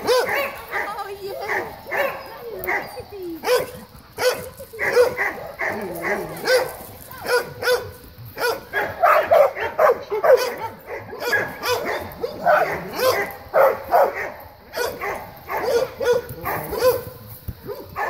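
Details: Playing dogs in an excited greeting. Rapid, overlapping high yips and short barks run almost without pause throughout, with human speech mixed in.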